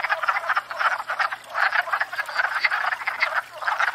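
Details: Wood frogs at a pond in spring during courtship and breeding; loud, gravelly quacking croaks in quick clusters, several frogs overlapping, with short lulls between bursts.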